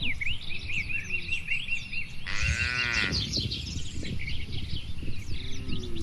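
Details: Free-grazing tame cattle on open green farmland tended by a herder; a single rich, harmonic moo lasting about a second midway, while busy high bird chirps and a low, steady wind-like rumble fill the background.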